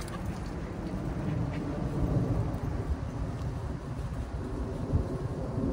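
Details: Dense low rumbling noise, like wind or distant traffic, fills the recording with no animal voices.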